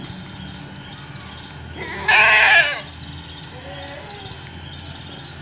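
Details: Seven-month-old Etawa doeling, 70 cm tall, of the Kaligesing Etawa type, gives one loud, strained bleat lasting almost a second. A fainter, softer bleat follows after a pause, over low background hum.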